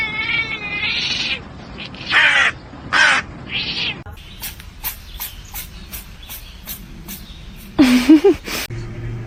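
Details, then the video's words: Domestic cat meowing in a short burst of several wavering, mid-pitched meows during the first few seconds, then a run of sharp clicking taps and one low drawn-out call near the end. "cats meowing"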